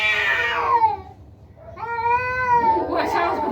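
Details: Two angry yowls from fighting cats: a high descending wail, a short pause, then a steadier drawn-out howl that rises slightly and falls. Human voices come in at the end.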